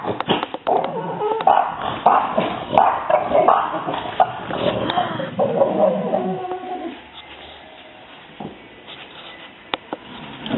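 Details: Several French Bulldogs indoors react to a neighbourhood cat spotted outside. Agitated barks and whines burst out in a dense, irregular run for about seven seconds, then fade to quiet room noise. A woman's voice is audible.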